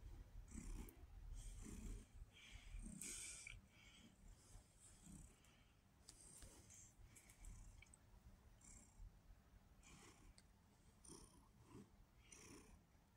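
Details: Pumpkin, a red tabby house cat, described as very sweet and vocal, purring indoors: a low, rough rumble pulsing in steady breaths about once a second, with soft clicks and rustles overhead.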